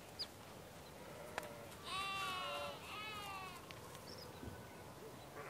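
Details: A sheep on a farm in the morning gives a long, quavering bleat against quiet farmyard background noise.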